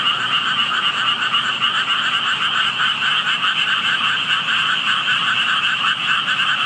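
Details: Unseen frogs calling near a spot where only tadpoles could be found: a thick, steady chorus of overlapping pulsed croaks, slightly throbbing in loudness, continuous throughout.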